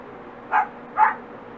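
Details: Two brief, bright yelps about half a second apart from six-and-a-half-week-old dachshund puppies, Barbee's litter of four, heard close and clear above a soft background hum.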